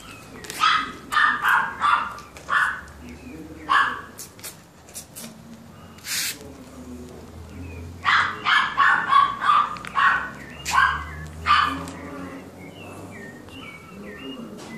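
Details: Male and female brown toy poodles bark in short, sharp bursts, in two fast runs of about eight yaps each, with a few isolated barks between them and soft whimper-like sounds in the pauses.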